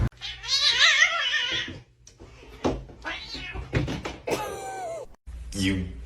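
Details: A cat gives a loud, drawn-out wavering yowl lasting over a second, then goes quiet while people talk and laugh indoors, with a short squeaky sound near the end.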